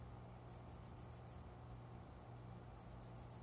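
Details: Cricket singing shortly after five at dawn, hidden among small windowside plants indoors in summer: two bursts of about six rapid, high, ringing chirp pulses separated by a short pause, over a faint low steady indoor hum.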